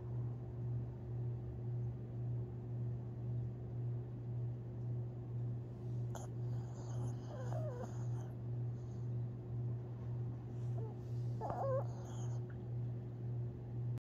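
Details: Sleeping Long Haired Chihuahua, Tinkerbell, dreaming, recorded April 17, 2021; deep steady snoring throbs in a regular rhythm of roughly two breaths per second, with short faint squeaks and rustles in the middle section.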